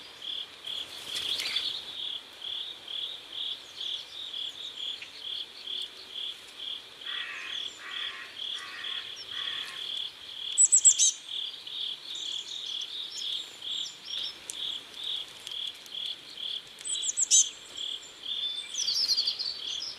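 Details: Riverside crickets in South Korea at sunset, giving a steady run of high, short pulsed chirps roughly two to three per second, with a cluster of lower buzzy bursts midway and occasional sharp squeaks from other creatures.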